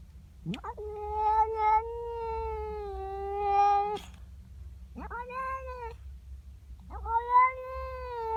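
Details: Female pet cat in the morning, yowling at a neighbour's cat in her garden: three long, drawn-out wailing yowls with a sharp rising onset, the first held about three seconds, steady and nasal, with brief pauses between.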